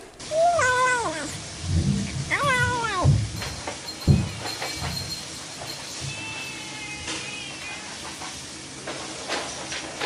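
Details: Cat giving two quick, bent meows that fall in pitch, followed by low thumping knocks and faint high steady tones in the background.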